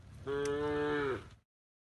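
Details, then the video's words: A tame cow being herded to the pen gives one steady, even-pitched moo lasting just over a second, then silence. "the sound of cows mooing"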